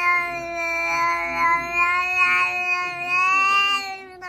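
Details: Cat at home producing a continuous, drawn-out yowling meow with slight wavering in pitch and loudness, fading at the very end.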